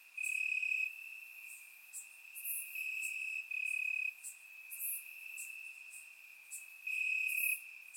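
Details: Warm summer night in Bulgaria, crickets calling from grass, recorded in surround sound: a constant thin trill punctuated by loud chirping bouts of about half a second to a second, alongside faint higher ticks.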